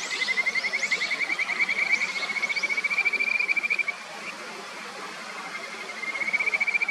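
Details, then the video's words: Kajika frogs calling by a clear upper stretch of the Natori River in Sendai, Japan: a rapid, even trill of high pulses, briefly fading near four seconds then resuming, over steady stream rush. "清流の歌姫 カジカガエルの鳴き声"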